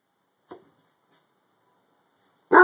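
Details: A harlequin Great Dane, barking at something under a bed, gives a soft, muffled woof, then a single loud, deep bark after a pause.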